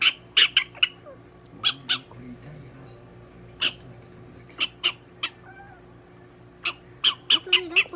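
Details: Donguri-chan, a pet prairie dog, at a veterinary clinic in Nagoya during an examination and treatment, gives a series of sharp, short, high squeaking chirps, some in quick pairs, with a person's soothing voice and room noise between.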